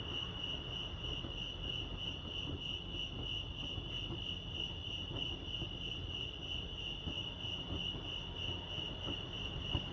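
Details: Crickets chirping at Lake Arrowhead, California: a steady, high, finely pulsed trill runs unbroken through the whole stretch over a soft low rumble of background noise.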